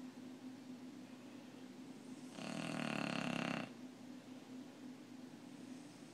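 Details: Bulldog asleep, giving a single drawn-out snore of about a second and a half, a coarse, buzzing rattle rising out of quiet breathing and a faint steady hum.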